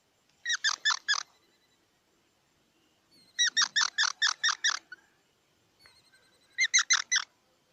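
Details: Squirrel chatter in three bursts of rapid, evenly spaced harmonic chirps, roughly three, seven and four notes each, separated by pauses of about two seconds.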